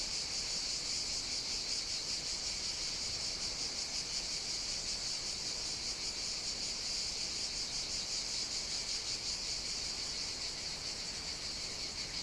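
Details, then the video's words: Cicadas on Evia, Greece, singing through a hot summer day: an intense, steady, high-pitched whirring with fine regular pulsation, holding constant for over twelve seconds, nothing else clearly audible. "Cicadas Sing On the Greek Island of Evia"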